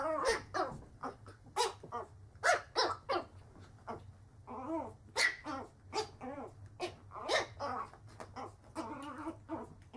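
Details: Several puppies barking in a compilation of young dogs, a steady run of short, sharp yaps with some whiny higher yelps, packed closely over ten seconds against a low background hum.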